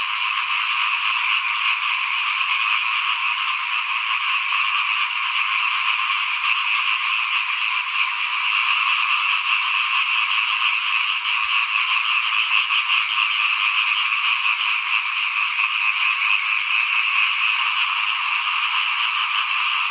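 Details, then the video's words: Paddy-season frogs calling by a house while rice is being sown, 2021. Layered, ceaseless trilling croaks from many animals hold a steady volume, with slight swells in intensity across the stretch. "เสียงเขียดร้องหน้าบ้าน ตอนหว่านข้าวเตรียมปลูกปี2021"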